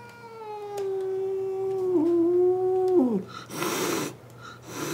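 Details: Clara, an indoor-kept outdoor cat, howls angrily at another cat at the window: a long, steady, harmonic-rich wail lasting about three seconds, dropping at the end, then breathy hissing bursts.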